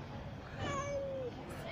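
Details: Very active kitten that roams around looking for food while its siblings hide and sleep in the nest: one drawn-out, slightly falling meow over a steady background hum.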